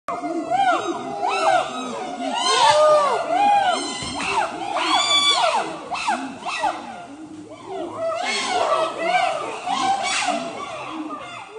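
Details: Wild habituated chimpanzees from a community of more than 100 in Budongo Forest, Uganda, screaming together: overlapping arched, wavering shrieks in rapid bursts, rising and falling in loud waves.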